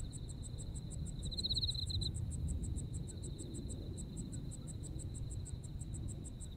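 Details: Autumn insect sounds from Japan: quick, evenly spaced high chirps, briefly pausing, layered over a steady thin trill that swells once early on; low background rumble persists underneath.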